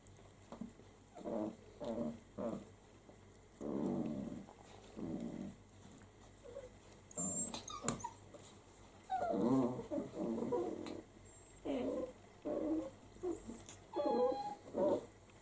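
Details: Six-week-old Italian Greyhound puppies from a healthy first litter, running and playing indoors: short bursts of rough, low growling that repeat irregularly, with a few higher whiny yelps near the end.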